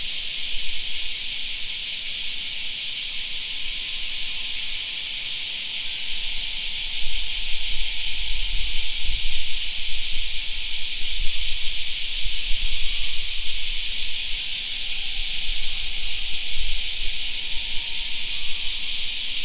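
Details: Cicadas hiss continuously in a summer park, a high sizzling chorus that never pauses, over frequent low thumps and rumbling, likely wind or distant traffic.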